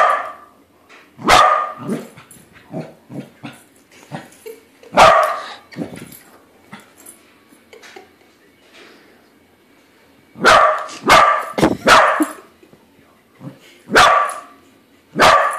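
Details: Corgi indoors confronting a balloon shaped like a corgi, finding it isn't real: bursts of loud, sharp barks in quick runs, broken by quieter huffs, snuffles and small yips.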